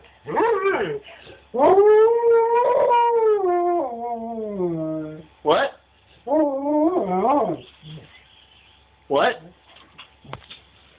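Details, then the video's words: Husky-wolf hybrid howling, described as singing: long wavering tonal howls that slide downward, broken into several phrases of about one to three seconds with short gaps, plus a few brief yelps between them. "Our husky/wolf hybrid "Cash" singing (howling)"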